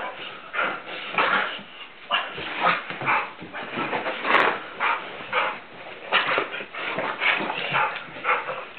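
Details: Blue Nose Pit Bull Tantrum in rough play with its owner; harsh whimpers and growly huffs pulse every half second or so, rising and falling in loudness, with a louder strained burst midway.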